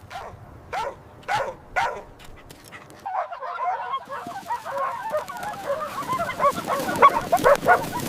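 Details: Joyful puppies running, jumping and play-fighting on fresh green grass: a few clear, separate barks open, then a dense, noisy jumble of overlapping yips and scuffling follows.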